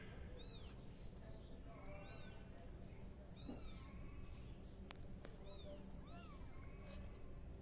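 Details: Tabby kitten spinning in a pot, giving soft, high, arching meows, about five short calls spread over several seconds, some rising then falling, over a steady low hum and faint background hiss.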